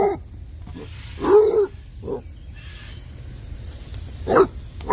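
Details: Basset Hound puppy playing with a water hose on a warm Tennessee day, giving a drawn-out bark followed by a shorter one and a final sharp bark, with hissing water underneath.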